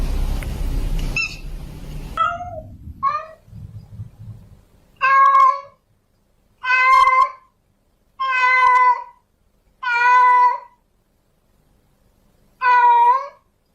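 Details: Female domestic cat in heat, calling a male to mate, gives drawn-out wavering meows about a second long with pauses between, after a burst of noise and a few short higher cries at the start.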